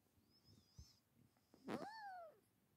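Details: F6 Savannah kitten among kittens playing and cuddling indoors with Bengal cats; a short faint mew, then a louder clear meow that rises and falls over about half a second, with soft rustling of play.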